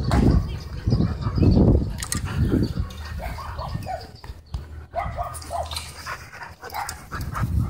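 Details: Dogs playing at a dog park, several short low barks and growly play sounds in the first seconds, then softer scattered yips and movement noise.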